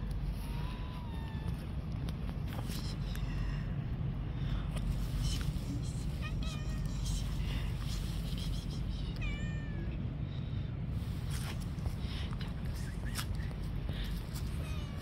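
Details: Stray street cats sitting on a park bench waiting to be fed, giving several short wavering meows scattered through the stretch, partly buried under a steady loud rumble of traffic and outdoor noise.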